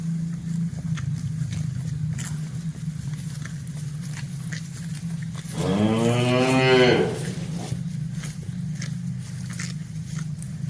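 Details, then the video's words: Village cattle in a herd walking slowly along a quiet village road on a cool evening, a herder following; a single long harmonic moo swells midway and fades after about a second and a half, over a steady low rumble and wind. "Suara Sapi Moo"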